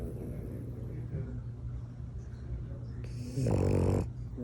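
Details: French bulldog snoring while asleep indoors: a steady low rumbling snore with soft breathy texture, ending in a louder, harsher snorting burst near the end.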